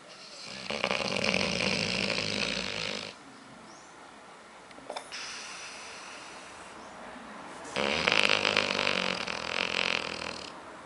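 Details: Sleeping female dog Aila, called Lalá, dreaming with rapid eye movements; long, harsh, buzzy snores lasting two to three seconds, with a quieter stretch and faint soft sounds between them.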